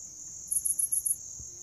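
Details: Grass insects chirping: a steady high, thin ringing drone underlies a quick burst of five even, very high pulses lasting about half a second, with faint low rumble in the background.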